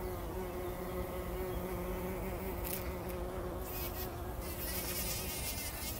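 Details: Bumblebees bathing in poppy pollen at dawn before sunrise, 2019: a deep, even droning buzz with clear overtones holds steady for several seconds, then hissy rustling bursts from the blossoms join in near the end.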